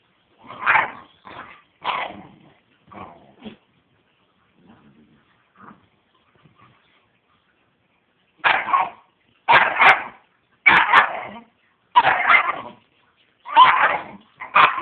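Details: Two 13-week-old Great Dane puppies give sharp, yappy barks in uneven bursts, with a brief quieter pause midway.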